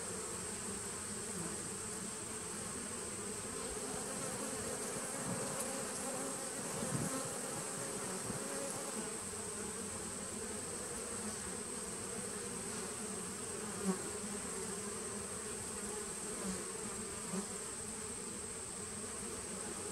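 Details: Honey bees of a 2017 nuc colony, recorded 19 September 2018: a dense, steady low hum from the hive that holds level for the full twenty seconds, with a thin constant high-pitched whine running over it and a couple of faint knocks.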